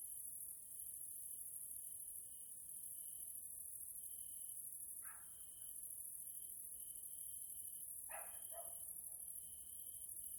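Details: Grasshoppers in the evening in a natural area in Hungary, Central Europe: a steady high shrill hiss runs throughout with a broken, pulsing higher trill. Short faint knocks or chirps are heard around five and eight seconds.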